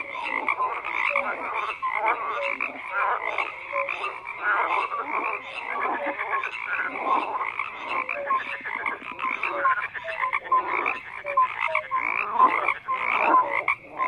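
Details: A chorus of many frogs croaking together: rapid pulsed calls layered with brief clear notes, continuous and evenly loud over the whole stretch, nothing else audible.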